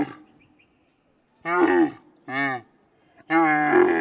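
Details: Loud camel grunts in a natural setting: after a quiet second, three rough, harmonic groans follow, the last one longest and slightly rising toward its end.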